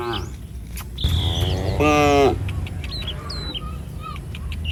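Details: A single short, bright low from cattle of a herd roaming the street, preceded by a whistled bird note and surrounded by scattered bird chirps.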